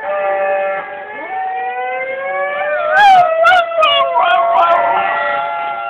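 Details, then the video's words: Pip the dog howls along with a loud emergency siren, wavering, sliding howls rising and falling midway through over the siren's steady, rising wail, recorded on an Android phone. "Dog howling at emergency siren"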